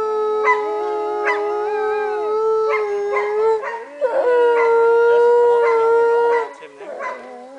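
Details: Loud, layered wolf howls ring out at Northern Lights Wolf Center, Golden, British Columbia, Canada, pausing briefly near four seconds before swelling again, then dropping away at six and a half seconds, with scattered clicks.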